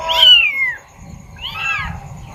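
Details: A kitten, brought out of its nest for the first time and isolated from its mother, gives two high, thin meows, the first falling and the second arching, calling to its mother for help.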